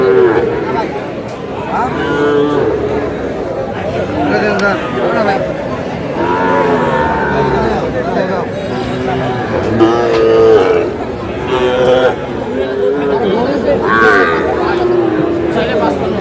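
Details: Repeated moos from Sahiwal cattle at a crowded Cumilla cattle market in Bangladesh on 9 June. Several lowing calls come at irregular intervals, mixed with constant haggling voices and crowd chatter.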